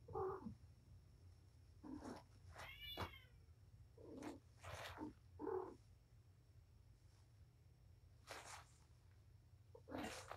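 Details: Indoor play session on 7-25 between the mother cat Patience and her litter of five kittens, four male and one female; a busy run of short meows mixed with thin, high, wavering kitten squeals, several overlapping, over a faint low hum.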